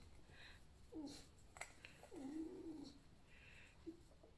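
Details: Alf, a pet fox kept indoors, lies creaking after a lively night. He is not unwell. Two wavering, nasal, squeaky moans are followed by a brief final squeak, with soft room noise.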